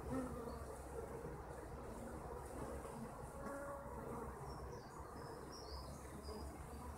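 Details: A crowd of kept honeybees drones continuously, a thick layered hum with occasional louder passes of single bees close by, set against a deep, steady low-pitched background rumble.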